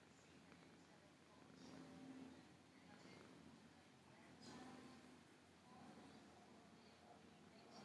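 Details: Relaxed, happy female cat purring; a low, steady rumbling purr that swells softly and falls away every few seconds, with faint higher rustles in a quiet room.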